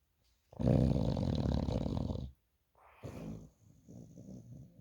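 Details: American Bully dog asleep in bed, snoring: one long, rough, low rumbling snore of nearly two seconds, then a brief pause and quieter rattling, uneven breaths.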